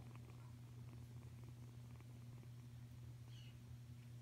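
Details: Continuous low, even purr from an F1 hybrid Savannah kitten aged five weeks, a smooth throbbing hum with no pauses and a faint brief higher squeak late on.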